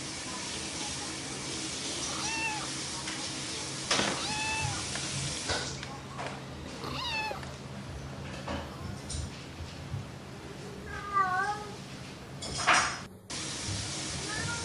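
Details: Domestic cat, described as playful, giving several short meows with curving harmonic contours, scattered among clicks, knocks and broadband noise bursts; calls come irregularly, with a clearer pair of wavering meows near the end.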